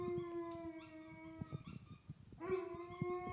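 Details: Pet Alaskan Malamute singing to a teddy bear, giving long level howls: one steady tone for about a second and a half, a short pause with faint rustling, then a second even howl rising in at the start.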